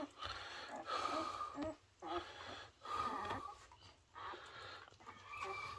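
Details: Whines in the home of Coco, a Border Collie mother with a six-pup litter born three days earlier, eager for her seaweed soup. Nasal whining bursts with a steady, harmonic-rich tone repeat about once a second, with short pauses between them.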